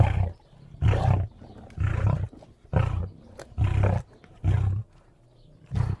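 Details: A lion gives a sequence of powerful low roars, seven throaty bursts spaced roughly a second apart, each rough and resonant, with quiet pauses between them and a softer final grunt.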